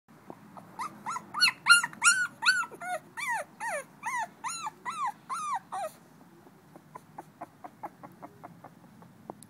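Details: A female blue-nosed American Pit Bull Terrier puppy, two weeks old, recorded on 21 December 2011, gives a rapid run of high, arched squealing cries about three per second for six seconds, then soft clicking sounds indoors.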